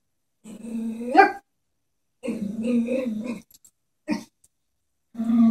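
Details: A Chihuahua scared of a stuffed toy horse lets out a low growl that rises into a sharp bark, then a longer rumbling growl, a brief yap, and another growl.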